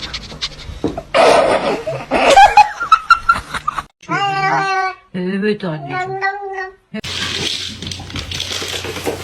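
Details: Pet cat caterwauling in a funny cat compilation: after loud bursts of laughter and talk, two drawn-out, wavering meows with strong harmonic stacks follow one another, then a harsh broadband noise closes.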